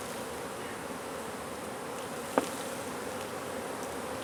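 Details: Droning of many honey bees as their hive under a wood pile in McAllen, Texas, is taken out for relocation; an even, unbroken low hum broken only by one sharp knock midway.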